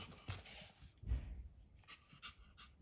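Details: A female puppy panting softly in short, breathy huffs, about five quick breaths in under three seconds, set against a faint steady background hiss.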